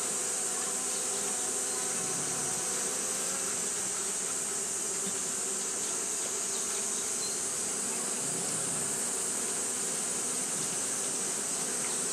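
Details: Steady massed drone of Japanese honey bees fanning nonstop during hot weather, a thick, even hum with layered low tones under a persistent bright hiss, no pauses.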